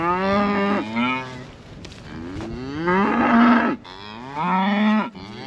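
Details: Highland cattle moo after a calf gets out: a long bellow, a softer low groan, then two more strong moos that swell and rise in pitch before cutting off.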